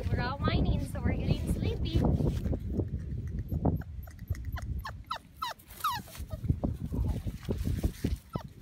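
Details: Five-week-old British Labrador Retriever puppies, a litter of six, outdoors on a blanket, tired and getting sleepy; thin, high whines and whimpers bending up and down, several in quick succession in the second half, over people talking nearby.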